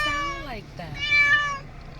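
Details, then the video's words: Pet cat making funny, baby-like noises: a long harmonic meow that bends downward, a short break, then a second higher, steady wail, with a person's voice faintly underneath. "Cat makes funny noises"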